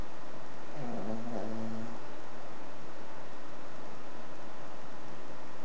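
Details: A sleeping Cavalier King Charles Spaniel, three and a half years old, who snores a lot, gives a single low, rattling snore, then all goes quiet.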